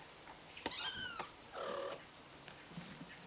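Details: Kittens learning to play, giving a brief high, harmonic-rich mew with a falling tail near the start, followed by softer, fainter squeaks and rustles against a quiet background.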